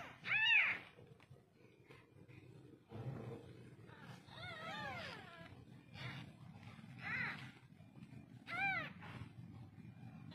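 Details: Newborn domestic kittens meowing: several short, high, arched squeaky cries spaced a few seconds apart, the clearest near the start and toward the end, over a low background rumble and soft rustling.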